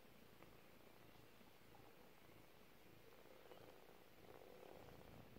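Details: Steady rapid purring from a four-week-old domestic kitten, a low vibrating rumble that stays even from start to finish.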